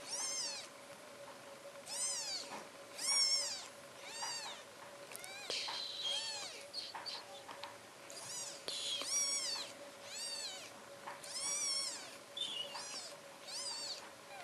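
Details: Newborn British Shorthair kittens, four days old, in a cattery in Poland, giving a long series of thin, high, arching mews roughly every second, some overlapping, with soft rustling between calls and a constant background hum.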